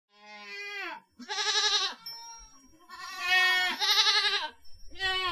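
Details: Goat bleating: long wavering bleats with rich harmonics and a quavering tremolo, two main cries with a short falling call between and another starting at the end; a faint steady high tone runs through.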